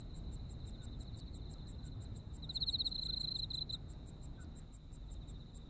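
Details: Autumn insects in Japan: a sustained high trill plus rhythmic chirps roughly three per second, with one louder, rasping pulsed burst between about 2.5 and 3.7 seconds, over a low steady background rumble.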